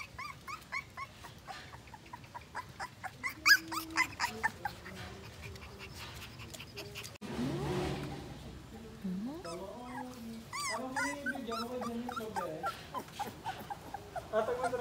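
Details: Two-week-old Siberian Husky puppy crying: repeated high, thin whines, then lower drawn-out wavering whimpers, a burst of rustling noise midway, followed by more bending, rising-and-falling cries.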